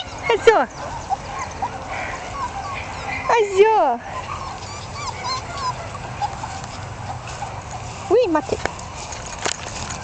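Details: One-month-old Jack Russell Terrier puppies, born 27 October 2010, give three separate descending yelps and whines spread across the recording, over background chatter and low hum.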